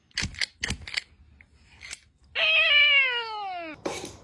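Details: Cat giving one long drawn-out meow that slides downward over about a second and a half, preceded by several short clicks or taps and followed by a brief noisy burst.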